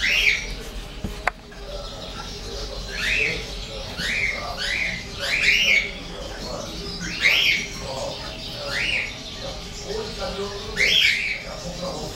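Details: Two English bulldog puppies, 33 days old, a pure white male and a golden-and-white female, give high, shrill rising-then-falling squeals in irregular bursts, roughly a dozen over twelve seconds, above a low background hum.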